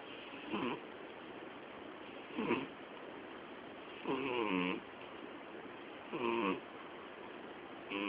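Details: Snoring of the sleeping female cat Miyabi, almost 12 years old; softer, uneven rasping breaths, with the clearest buzzy snores near the middle and end, spaced about two seconds apart against faint room hiss.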